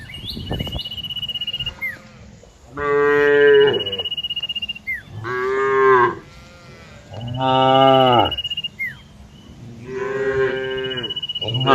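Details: Herd of cows grazing and resting in green fields. Four long, deep, harmonic moos come at fairly even intervals. A thin, high, steady bird whistle and faint chirps sound between them.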